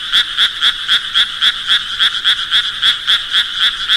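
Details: Frog croaking in a fast, steady train of short pulses, about four each second, each a bright double-banded rasp with a strong upper tone, continuing unbroken over a clean, quiet background.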